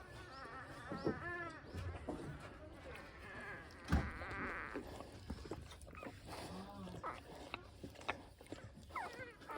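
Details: Week-old Pungsan dog puppies, born June 14, with their mother Iseul tending them; repeated thin wavering squeals and whimpers come in short bursts, several overlapping, among snuffling, rustling and a low background murmur.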